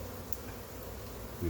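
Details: Honey bees from a massive wild hive being caught, a steady low droning buzz of many insects with a faint band near 500, brief sharp clicks and a louder rise at the very end.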